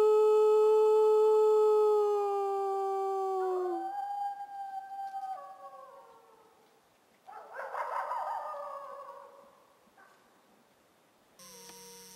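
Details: Wolf howling back and forth with a friendly human who howls to it; long drawn-out tones held steady, then sliding down and rising again, followed by a rougher, louder wavering burst and a quieter closing note.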